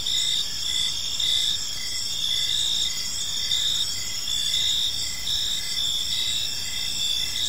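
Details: Crickets in a park as evening falls: continuous high-pitched trilling from several insects, with one chirp pulsing at a fairly steady rate of about once a second, and light low-frequency ambient noise beneath.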